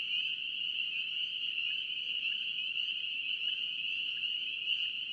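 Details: Chorus of North Carolina spring peepers: countless high piping voices blended into a continuous bright whine, steady throughout, a few slightly louder peeps standing out over a quiet low hiss.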